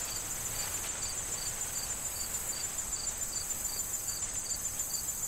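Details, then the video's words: Crickets among corn stalks in autumn, soon before harvest, repeat crisp high chirps at a brisk steady pace over an unbroken shrill trill, with gentle wind and leaf rustling throughout. "Corn Field Sound of Wind and Crickets"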